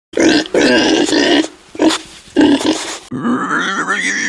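A pig gives a run of harsh, nasal grunts in quick bursts, followed by a human voice.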